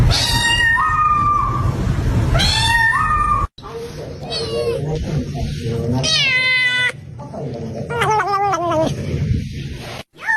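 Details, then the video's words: Kitten meows: first a pair of long, level, stepped cries that jump upward, then several shorter arched, quavering meows at higher pitch, over a background of music and room noise. "Ranking different kitten sound"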